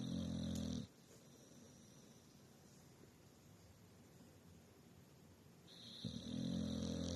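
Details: Sleeping dog snoring: a loud, low, rasping snore at the start and another at the end, separated by several seconds of quiet breathing indoors.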